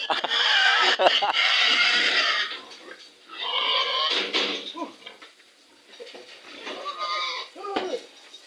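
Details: Stubborn sow being loaded, its head covered with a sack, squeals long and harsh for over two seconds, then gives shorter strained squeals, while men talk and music plays behind.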